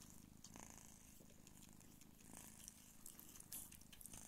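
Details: Mother Sphynx cat nursing her kittens indoors, a steady low rumbling purr running throughout with faint soft rustles and small clicks from the suckling kittens.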